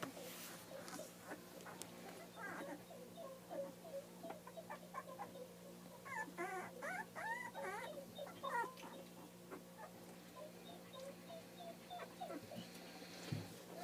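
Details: Puppies at two weeks old, offspring of Bree and Zarek, whimpering in a busy chorus of short wavering squeals and whines that peak midway, then thin out, with a constant low electrical hum beneath.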